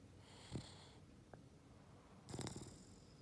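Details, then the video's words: Ollie, a Boston Terrier, snoring indoors: low rumbling snorts with breathy noise, one short grunt near the start and a longer raspy snore toward the end, quiet room background. "Ollie snoring |Boston Terrier"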